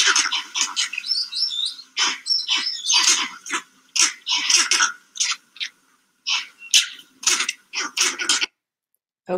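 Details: Vervet monkeys in trees at their sleeping site react to a life-size leopard model with loud, rapid, repeated barking chirps as a leopard alarm call, louder than needed for signalling only to each other.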